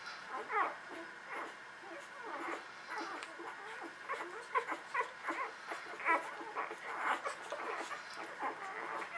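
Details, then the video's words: Newborn puppies from the Beretta and Jericho litter squeak and whimper while nursing: short, high, bending cries in quick clusters, louder toward the middle, over a faint steady hum. "Beretta Jericho Newborns Nursing"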